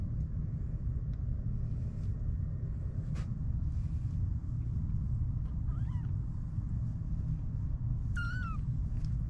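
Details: Stray kittens, 25 days old, born at a neighbourhood car shop: two brief high meows that slide downward, the second clearer, heard over a steady low rumble.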